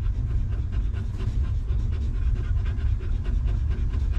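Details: A stray dog mother and her newborn puppies in a harsh place without comfy beds; rapid rasping pants, several each second, sound over heavy low-pitched background rumble.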